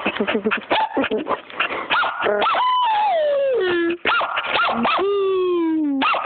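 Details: A puppy barking: quick high yips in rapid succession, followed by long, falling, howl-like whines that glide down in pitch, then another burst of yips and a second descending whine.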